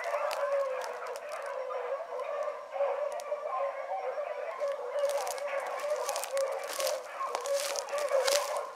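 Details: Hound pups named Ringo, Mingo and Choco running one morning, with Boone and Dino trailing, keep up a steady, dense chorus of overlapping bays and howls, several voices blending without pause.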